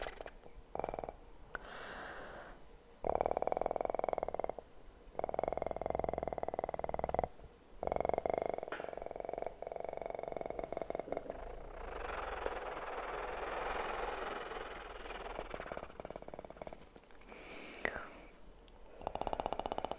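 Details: A kitten's purr comes in several rumbling stretches separated by silent gaps. In the second half, rustling and crinkling handling noises take over.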